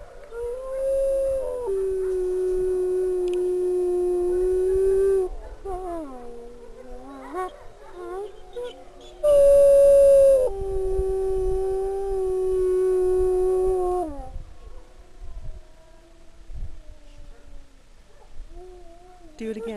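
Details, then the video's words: Renata, a sanctuary wolf with a troubled past, gives a series of long, level howls, each held several seconds, with a pitch dip and quavering breaks between them, a louder, higher howl near the middle, and softer wavering notes at the end. "WOLF Sanctuary -- Renata Howling"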